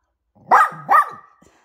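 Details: Poodle mum with her puppies, two quick harsh barks in close succession joined by a short low growl, then quiet.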